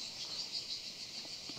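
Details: Cricket calling in trees along a hill path in Monfalcone, Italy; a steady high-pitched continuous trill with slight pulsing runs throughout, faint and even, with soft outdoor background.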